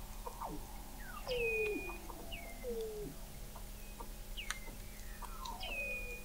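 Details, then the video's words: Weddell seals recorded in November 2017 from an observatory 21 m below the sea ice in McMurdo Sound, Antarctica: overlapping descending whistles and glides, some high and short, others sweeping down through mid pitch, against a steady underwater hum. "Song of the Antarctic Weddell Seal"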